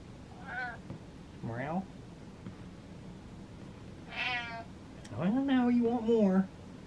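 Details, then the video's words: Domestic cat indoors, rubbing on a stool and asking for more brushing, gives several short meows, some rising, then a longer wavering drawn-out meow, in a quiet small room. "Cat Meows While Rubbing On Stool"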